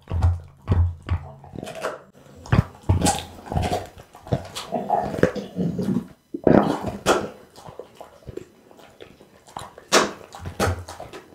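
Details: Pit bull Bounce chewing unusual raw foods, among them lamb spine and beef kidney, filmed with an Insta360 ONE R; rapid crisp snaps and wet gnawing come in quick clusters, with brief pauses between bites.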